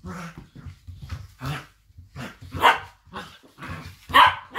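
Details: Two blue roan working cocker spaniels, Minnie and Hugo, play fighting indoors; sharp barks and growly yaps come in uneven bursts, some loud and ringing, with soft scuffling between them.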